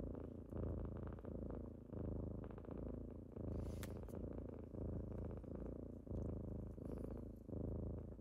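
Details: Kittens waking their owner in the morning purr with a rhythmic, pulsing rumble, each inhale-exhale cycle lasting under a second and a half, with a brief faint click partway through.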